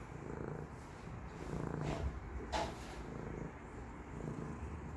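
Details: Domestic cat purring indoors, a continuous low rumbling purr with brief soft noises over it in a quiet room.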